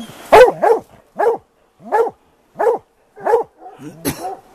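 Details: Plott hounds baying while hunting a big tom mountain lion in the afternoon after cutting its track: loud, hoarse, harmonic bays repeated roughly every 0.7 seconds, seven in all, with a man speaking faintly.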